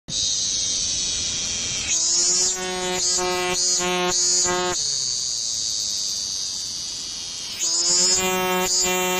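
A cicada sings with a continuous high, sizzling buzz that runs throughout. Twice it swells into a coarse, rattling drone with a lower hum underneath, lasting a few seconds before settling back to the steady hiss.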